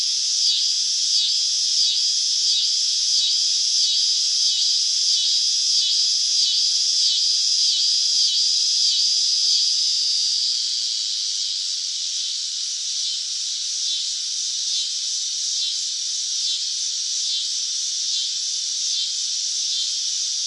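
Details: Cicada song in summer: a high, pulsing buzz with regular swells about every two-thirds of a second for the first half, then smoothing into a steadier, slightly softer drone.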